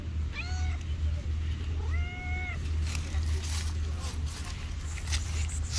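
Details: Homeless street cats, friendly toward people; two distinct meows, each a short arched cry with rich harmonics, about a second and a half apart, over low background rumble and faint traffic.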